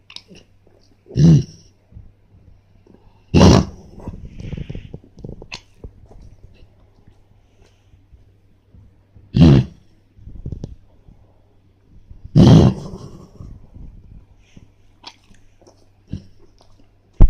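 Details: Pet dog having a reverse sneezing fit: harsh, snorting inhalations in short bursts, the loudest around one, three and a half, nine and a half and twelve and a half seconds, with quieter snuffling and rustling between them.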